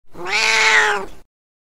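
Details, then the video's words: Domestic cat giving a single clear, drawn-out meow lasting just over a second. The tone is steady and slightly falling at the end, followed by silence. "Cat Meow"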